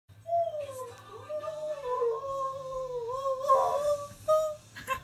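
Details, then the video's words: Key, a male Husky, makes a squeaky entrance indoors in a small room: a long, wavering, high-pitched vocal squeak that slides up and down, with a brief louder burst near the end. "Husky Makes Squeaky Entrance, Then Leaves"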